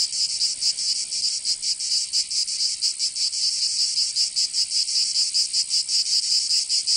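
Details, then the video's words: Summer cicada chorus in Provence, in the south of France, a shrill, hissing buzz that never stops, swelling and dipping in loose irregular pulses about once or twice a second, nothing else audible. "Canto Cigarra 🦗 [ Escuchar les cigarras en verano 10 H]"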